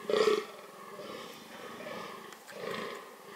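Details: Fallow deer calling during the breeding season, a short loud hoarse groan followed by fainter rough, drawn-out groaning in an open outdoor setting.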